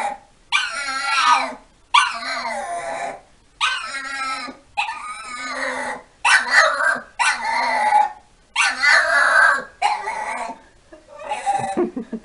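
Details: Staffordshire Bull Terrier, a pet dog, repeating strained whining yowls about once a second. Roughly nine bursts in sequence, each wavering and falling in pitch, with quiet pauses between them.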